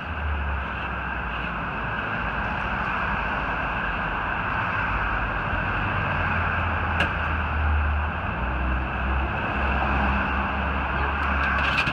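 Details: Continuous vehicle engine drone with a steady mid-pitched whine and an occasional sharp click, with no animal voice.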